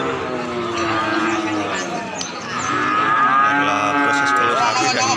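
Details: Calf having a nose rope fitted, in Indonesia: a drawn-out harmonic moo rising and falling over several seconds, with a man talking in the background.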